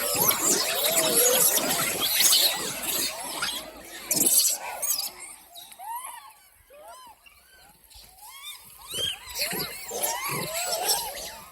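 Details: Hungry monkey giving a series of short, arched squealing calls, rising then falling, clustered from about five seconds on; the opening seconds are crowded with dense rustling and voice-like noise.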